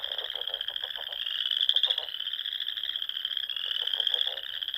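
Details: Frogs in spring song at dusk in Nebraska's Sandhills: a constant high-pitched trill chorus overlaid by repeated quick bursts of lower, ratcheting croaks, several bursts in under five seconds.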